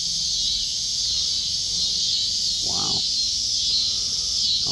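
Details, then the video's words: Cicadas sing in a backyard where cats gather; an unbroken high, sizzling drone fills the clip, interrupted by a short, cat-like cry midway and another at the end. "Cicadas singing"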